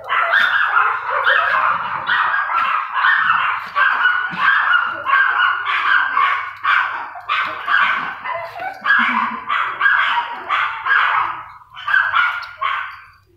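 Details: Female Toy Poodle in a new environment gives a steady run of sharp, high yapping barks, about one every second for thirteen seconds, each bark bright and harmonic, with short pauses between them and no other clear sounds.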